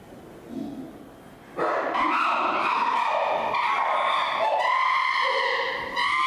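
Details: Chimpanzee Flynn screaming at another chimpanzee, Jambo, baring his teeth, possibly seeking reassurance; after a quiet start a loud, sustained, harmonic-rich shrieking erupts and continues in long wavering screams with rising pitch near the end.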